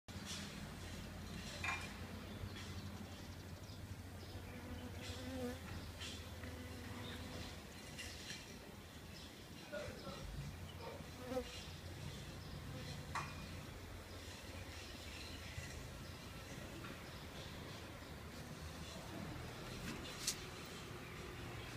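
A honey bee's steady low buzz of beating wings, with a few faint clicks and knocks.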